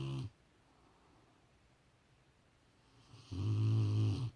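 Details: Sleeping Rottweiler gives a deep, rasping snore at the start, then quiet breathing, then another loud rumbling snore of about one second near the end.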